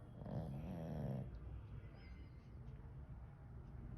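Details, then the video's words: Sleeping pug snoring: a single rasping, throaty inhaled snore lasting about a second, low and rumbling with a buzzy texture, followed by a few seconds of quiet room noise. "Snoring 💤 💤 Pug"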